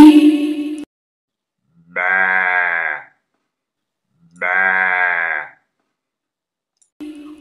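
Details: A domestic sheep (Ovis aries) bleats twice, each a wavering, nasal baa lasting about a second.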